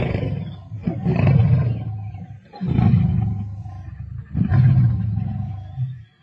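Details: Lions squabbling over a kill while feeding, Sabi Sands, 31 March 2024: three deep, rough growling snarls, each swelling and fading over about one to two seconds, with short dips between them.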